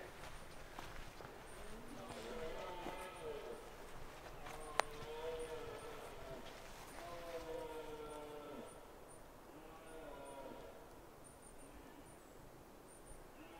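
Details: Red deer stags during the autumn rut in the Scottish Highlands give long, drawn-out moaning roars one after another. The roars are deep and rich in overtones, some overlap, and each swells and then trails off over a few seconds. Faint rustling runs underneath.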